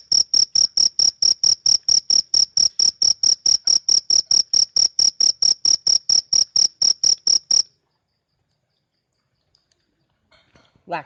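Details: Loud cricket chirps, shrill and high, repeating at a brisk even beat of roughly two per second for about eight seconds, then stopping abruptly, followed by near silence and a brief rustle.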